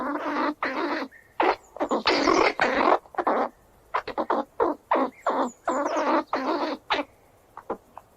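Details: A squirrel running around gives harsh, raspy squeals in bursts of uneven length with brief pauses between.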